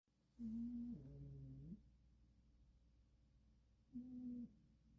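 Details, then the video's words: Sleeping cat snoring indoors: a low, steady hummed breath that drops to a deeper tone and lasts over a second, then a quiet pause and a second, shorter hum of the same pitch near the end. "Snoring cat."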